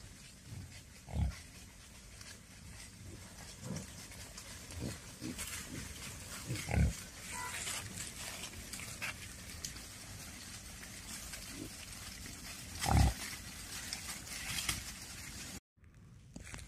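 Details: Wild boar (Sus scrofa), grunts.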